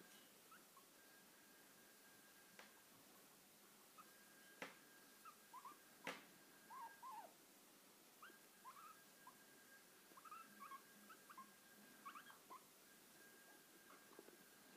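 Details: Nils-Olof, a pet guinea pig, squeaks during lap time: short whistled notes, some rising and some falling, come in scattered bursts, with a few sharp taps and a steady faint electrical hum behind.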